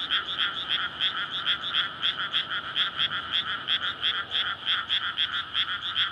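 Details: Frog chorus at night in May in a flooded rice paddy before planting, frogs calling in courtship to breed; surrounded by housing near a road, recorded on a linear PCM recorder; dense overlapping rapid croaks pulsing about every quarter second.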